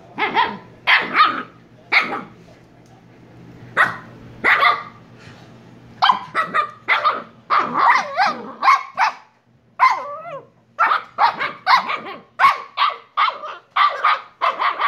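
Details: Kyno and Niro's Shiba Inu pup barking in a long, excited run: sharp high yips, sparse at first and then quickening into rapid bursts of several barks per second, with a brief growly whine near the middle.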